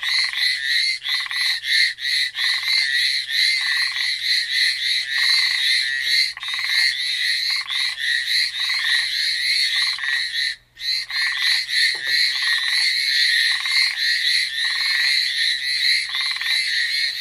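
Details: Many frogs calling together on Amami Island, a steady mass of fast, shrill, grating pulses overlaid by regular lower buzzy bursts, with one brief near-silent dip partway through before the chorus resumes.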